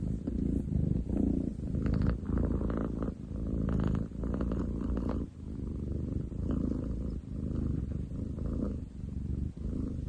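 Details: A male long-legged munchkin cat purrs loudly enough to rival a construction site, 30 July 2023; heavy, grinding low vibration rising and falling with inhale and exhale, with short dips between breaths.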